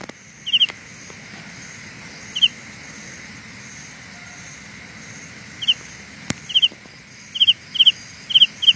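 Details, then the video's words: Carolina ground cricket calling with sparse high double-pulsed chirps, long gaps early on, then a quicker run of chirps near the end; a sharp click is heard midway. "Sound illusion by Carolina Ground Cricket"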